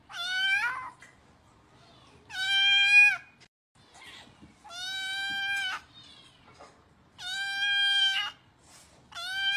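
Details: Kitten crying for food: repeated piercing meows, some long and steady, others short with falling ends, about every two seconds, with faint rustling between calls.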